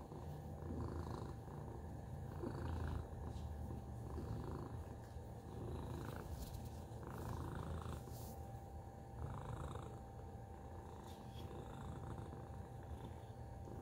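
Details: Continuous low purring from Tacy the cat, a rough rumble pulsing about four times a second across the whole stretch, with occasional soft rustles and brief clicks over the top.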